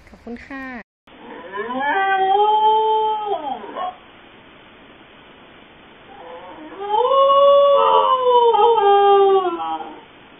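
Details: Corgi pups howling: after a brief yelp, a long wavering howl rises, holds, then falls away. A quiet pause follows, then a second drawn-out howl with a wobbling pitch.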